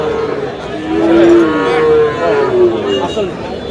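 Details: Small bull calves at a cattle market in Narsingdi, Sahiwal calves among them: a low, level bawl followed by further short calls, all set against a busy murmur of people talking.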